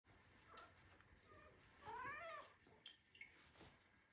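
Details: Two Siberian Forest kittens, Michka and Sacha, indoors switching between washing and wrestling; one short, soft harmonic mew that rises then falls, amid quiet rustling, licking and small clicks.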